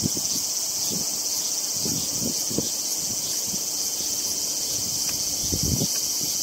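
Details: A calm singing cicada, Hyalessa maculaticollis, is filmed at close range while it feeds. Its high, even, buzzing drone runs through with soft rustling and scattered low knocks.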